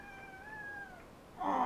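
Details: Simba, a pet cat indoors near a love seat, meowing at his owner, picked up on a helmet cam: one drawn-out tonal meow lasting about a second, nearly level with a slight rise, then a short louder burst of noise.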